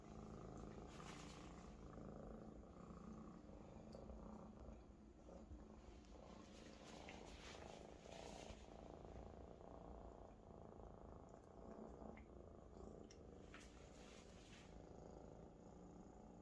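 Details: Maine Coon kitten purring loudly while resting, happy and comfortable, on a large adult companion cat indoors; a steady low rumbling purr runs throughout with brief faint rustling and clicks.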